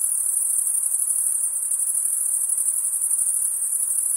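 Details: Night insects produce an unbroken, very high, ringing buzz that stays even in loudness from start to finish, over a quiet low hiss.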